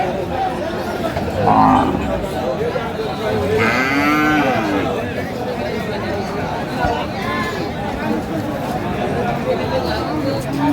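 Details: Cattle at Aftabganj cattle market in Dinajpur, Bangladesh, where Friesian and cross-breed bull calves are on sale on 16 April 2025; one drawn-out low moo rises and falls midway through, over constant crowd chatter and bargaining voices.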